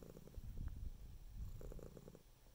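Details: Close, deep rumbling purr of a domestic cat, pulsing rapidly in short bursts, with one strong swell in the first second and another after a brief pause.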